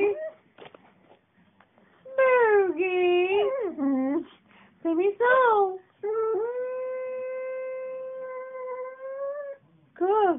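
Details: A 7-year-old female cocker spaniel in Thomasville, North Carolina, "sings" to her owner on request, howling in long, wavering tones that slide up and down while a person's voice encourages her.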